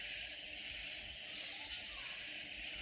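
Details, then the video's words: Hill Country insects near San Antonio, Texas: loud katydids form an unbroken, hissing high-pitched drone that swells slightly and fades again, with a little low background noise. "Sounds of Loud Katydid Insects"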